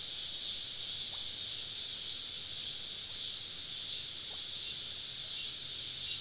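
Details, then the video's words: Dense cicada chorus on a southern summer evening deep in the woods while camping; a constant high buzzing hiss, with a few faint, brief lower chirps slipping through beneath it. "Southern Evening Summer Cicada Symphony"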